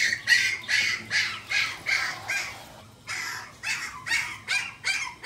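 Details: Pomeranian at a pet shop in Shizuoka, Japan, giving sharp, high yapping barks in quick runs, roughly two to three per second, with a short pause midway, over a faint steady hum.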